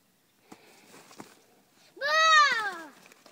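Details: Young male Airedale Terrier Spencer treeing on a squirrel pelt in a back yard after tracking the drag: one loud drawn-out bay, rising then sliding down over about a second, rich in harmonics, after soft scuffs and taps.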